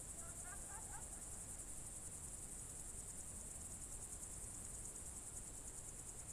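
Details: Crickets on a June 2023 evening in the Novye Buregi tract, Novgorod region: a steady, high, shimmering trill runs unbroken throughout. A few faint short whistled notes sound near the start over a low rural rumble.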